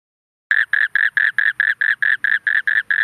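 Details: An Asian common toad, also called spectacled toad, calls in a fast, steady series of short, rasping croaks, about five a second.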